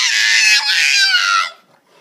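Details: A pug puppy barks playfully, giving a high, harsh, drawn-out yelping bark that slides slightly downward, with a person speaking nearby.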